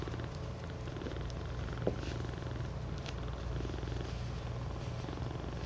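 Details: Cats cuddling in a heap, known as a cuddle puddle, producing an even, pulsing low purr that runs without pause, with one brief tap partway through.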